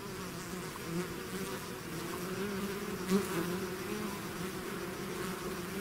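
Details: Bee swarm out of its hive: a dense, steady hum of many wingbeats, with tones near 200 and 400 layered together, and a brief louder buzz of one bee passing close around three seconds.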